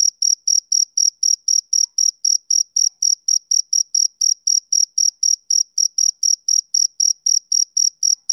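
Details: Male cricket calling in a long regular series, around 33 sharp, high ringing chirps over eight seconds, nothing else audible.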